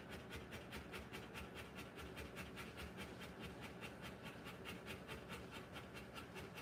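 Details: Rottweiler in labour giving birth to puppies, panting in quick, steady, soft huffing breaths, about two to three per second, evenly spaced over a low background hiss.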